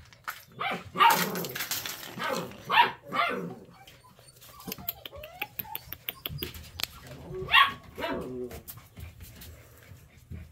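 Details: Eight-week-old puppy giving short, sharp high yelping barks, three main bursts spaced a few seconds apart with quieter whines between, over indoor clatter and handling noise.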